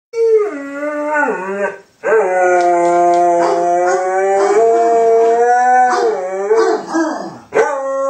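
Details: A pet dog named JB howls after his owner left him; long sustained harmonic howls that dip and rise in pitch, breaking briefly near two seconds, then a steady drawn-out tone with wavering breaks toward the end.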